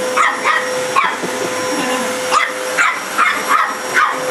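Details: Barking dog confronting a vacuum cleaner: short, sharp yaps in uneven clusters above a constant droning motor, a person talking nearby.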